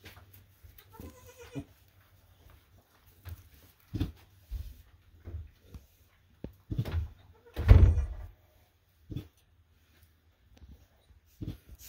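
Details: Full-blooded Boer goat kids at bath time on a homestead farm: a short harmonic bleat early on, then scattered low thumps, splashes and handling noises, with a louder burst of sound around the middle, in a small indoor room.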